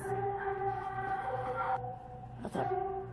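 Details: Short stretch of music with steady sustained tones that shift between held pitches, broken by a brief noisy burst.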